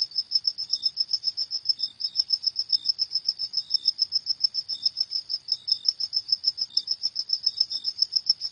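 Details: Crickets at night, a steady high, bright chirping pulsed rapidly about three to four times a second in an unbroken rhythm, with softer lower chirps slipping in between; no other sounds.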